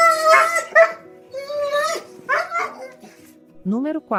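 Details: A dog in a compilation of crying sounds, presented as a funny cry: several rising and falling whimpering whines with sliding pitch, separated by short pauses, over a background of steady music tones.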